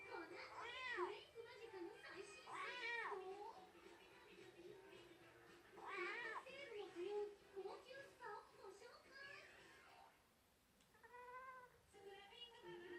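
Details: Rescued stray kitten that wandered into a garden, crying while kneading as the resident cat Shā-kun hesitates again and again to swat it; repeated high, arching meows, some drawn out, with human voices talking in between.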